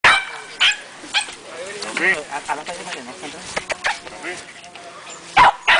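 A Cairn Terrier gives sharp, short barks mixed with wavering, whiny yips.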